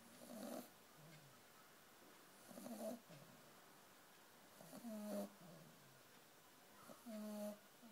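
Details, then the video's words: Snores from a dozing puppy come in four buzzy, nasal bursts at a steady pace of about one every two seconds, with quiet pauses between them. "Snoring puppy"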